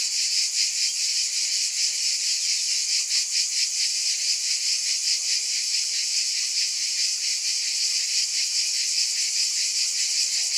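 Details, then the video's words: Loud, sizzling cicada drone with pulsing swells about two or three per second, the rhythm loosening toward the end. "Mmm! Scintillating Cicadas"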